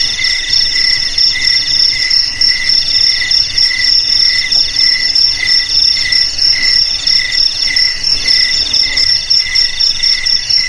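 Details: Cricket song made of fast, ringing pulsed chirps in layered high bands. The chirps repeat about once a second in a dense, unbroken chorus, with faint low background hum.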